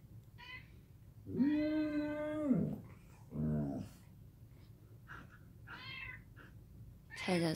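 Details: Samoyed dog babbling in the morning indoors, a sustained steady whining tone held over a second, then a shorter lower grumble and a few brief yelps, with a person's soft voice between.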